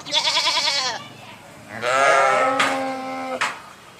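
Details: Sheep uttering a quavering bleat followed by a longer, harsher cry, with a short sharp noise near the end.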